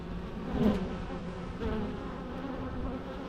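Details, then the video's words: Bees humming in a low, even drone, a brief louder buzz early on as one flies near. "natural bee sounds"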